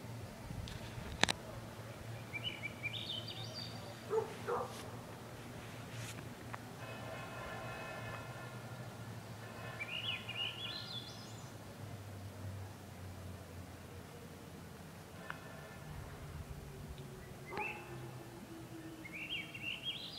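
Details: Wolves howling at the bottom of Grouse Mountain, set off by a car alarm; a long, low howl slowly falls in pitch, joined by harmonic wails and repeated high, stepped rising sweeps.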